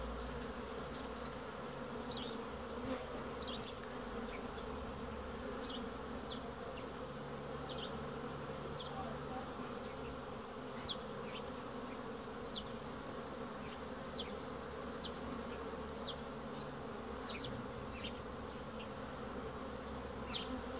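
Honey bees fill the air with a steady, dense humming drone from many wings at once.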